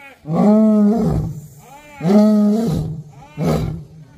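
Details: An angry captive lion at Sepahijala Wildlife Sanctuary, Tripura, gives three deep, drawn-out roars, each under a second, about every one and a half seconds; visitors suspect food arrives from that direction.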